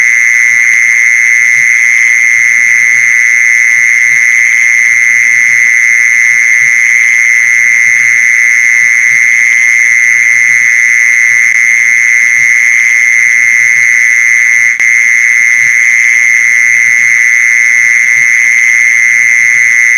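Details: Lure sound of a mole cricket: a constant, unwavering buzzy trill running the whole time, with a single brief click partway through and a faint low murmur underneath.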